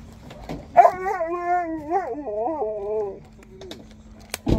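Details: Siberian Husky crying with joy on seeing people: one long, wavering, whining howl that bends up and down in pitch for over two seconds, then fades into soft whimpers, with a low steady hum underneath and a short sharp knock at the end.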